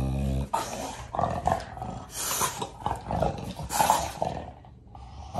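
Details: American Bully dog playing tug of war with a new toy indoors, giving rough, rumbling play growls in uneven bursts over a man's voice talking to it.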